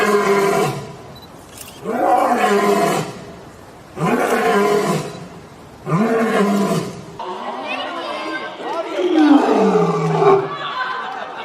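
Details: Lion roaring: four long, rough roars about two seconds apart, each rising then falling in pitch, the last one longer and more ragged.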